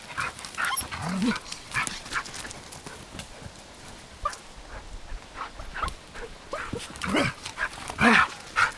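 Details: Dogs Arija and Nallo playing with nine-week-old puppies in an exercise yard; scattered low growls and short yips in bursts, with shuffling and scuffling between calls.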